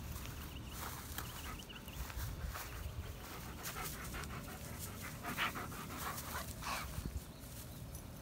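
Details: Odin, a German Shepherd, in company with another dog named Bella, panting in quick breathy rasps that come in short rhythmic bursts, with soft rustling and background noise around them.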